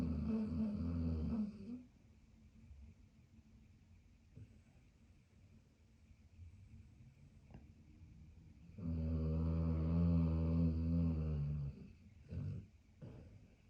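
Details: Low, rattling snores from Maximus, a pit bull and German shepherd cross resting after his early morning walk; a loud opening snore, a long quiet breathing stretch, then a strong grinding snore of about three seconds and a short snort.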